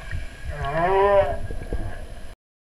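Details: Whale. Whale song, heard as a single drawn-out tonal moan with layered harmonics that swells upward, wavers and slides back down. Low rumbling water noise fills the background before and after the call.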